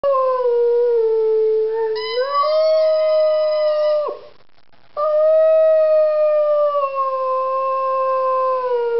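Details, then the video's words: A three-year-old female Rhodesian Ridgeback sings, giving a long, loud, tonal howl that starts low, rises in pitch after two seconds, breaks off briefly near four seconds, then resumes as a steady, slowly falling wail. "Singing Rhodesian Ridgeback"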